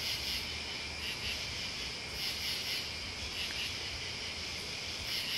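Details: High, unbroken trilling of crickets and bugs, the chorus swelling gently in rhythmic waves about once a second, with quiet low-pitched ambient noise beneath.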